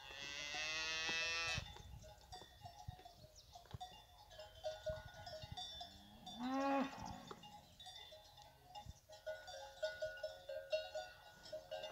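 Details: Fighting bull cows alongside their calves; opens with a loud, rich moo lasting over a second, a second shorter low follows near the middle, with cowbells jangling continuously underneath.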